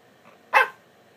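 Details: Pet dog answering its owner in a playful back-and-forth exchange, giving a single short sharp bark after a faint soft whine.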